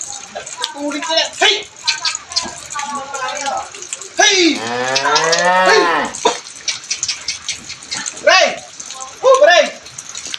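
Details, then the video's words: Brahman cattle, one of two, giving a single deep drawn-out moo midway, framed by clicks, chatter and human voices calling "hey". "Dua nga baka Braman"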